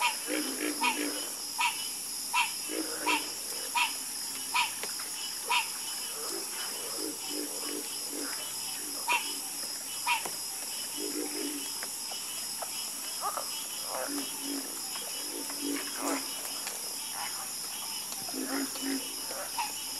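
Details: Chorus of frogs croaking: clusters of short, rough, low croaks scattered unevenly over twenty seconds, several callers overlapping, set against a constant shrill whining background hum.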